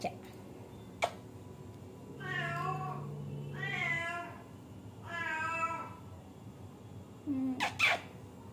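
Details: Kittens, a litter of three, Chinku and his two brothers, kept at home: three drawn-out, harmonic meows of about a second each, spaced roughly a second and a half apart, over a steady low hum with a few sharp clicks.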